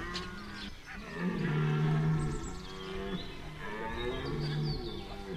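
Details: Red deer stag bellowing during the September 2021 rut at Chambord, France: long, deep, harmonic moaning roars, one swelling to full strength near the middle, with a second bellow further off.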